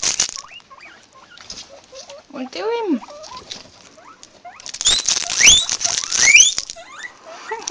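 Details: Several guinea pigs recorded on an Android phone: one arched whistled squeal, then a cluster of rising whistles over loud rustling and scrabbling, with a few soft short calls in between.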